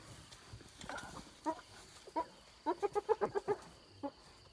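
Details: Wild hyenas squabbling over an impala carcass taken from a leopard and cub near Selati Camp: quieter, clipped giggles, then a quick run of about seven evenly spaced cackling notes, with a faint background hum.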